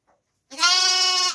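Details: Lamb bleating: one drawn-out, bright, nasal cry lasting under a second, opening with a short rise and then holding level before fading, against a quiet background.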